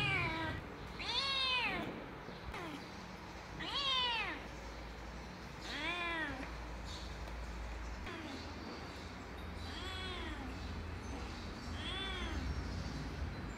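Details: Kittens giving repeated high arched meows, about every two seconds, clear harmonic cries rising then falling, over a constant low hum.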